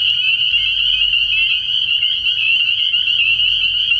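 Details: Spring peepers calling at night from a frog pond early in the year, a dense chorus of shrill, high peeps fused into one steady ringing band, with short upslurred notes breaking through and a faint low hum beneath.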